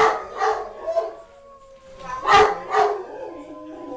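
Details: Pepper, a blue merle Great Dane, howling excitedly while playing with the family: wavering, drawn-out howls mixed with short barking yelps in rapid bursts, with people's voices and laughter alongside.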